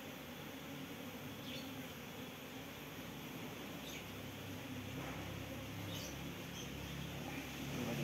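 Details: Apis cerana workers in a hive box, a colony rehoused from a durian tree, hum as their caged queen is released after three days; low, even droning that grows slightly louder toward the end, with faint clicks and a man talking.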